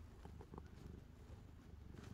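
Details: Calico cat Angttu, drowsy after playing and settling down to sleep indoors, purring: a soft, steady low rumble with fast, even pulsing that stays faint and continuous throughout.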